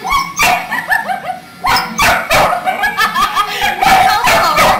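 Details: Tibetan Mastiff puppy named FORD, 75 days old, play-fighting with SUN, a Border Collie of nearly seven months; high whining yips and squeaky growls come in quick irregular bursts, overlapping, with scuffling between.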